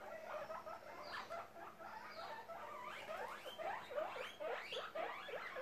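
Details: A happy baby guinea pig named Charlote squeaks while popcorning. The chirpy, bent notes come in uneven bursts, grow denser and louder toward the end, and faint thin whistles sound in the background.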